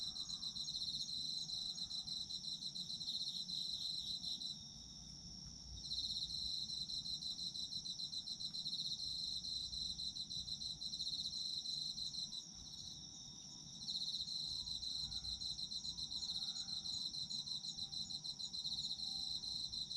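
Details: Autumn insect night chorus for sleep: layered crickets, one steady high ringing trill and another fast pulsing chirper that drops out twice and resumes, over gentle low background noise.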